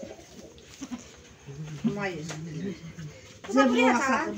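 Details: Goat, filmed around kidding time, giving a wavering harmonic bleat that rises and falls over about a second, followed by a louder, higher tremulous bleat; people talk nearby and music plays.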